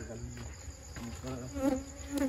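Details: Honey bees buzzing while honey is taken from their nest at night, just after the Eid holiday, following the evening prayer; a steady low droning hum with layered overtones, swelling and fading, plus brief faint background noises.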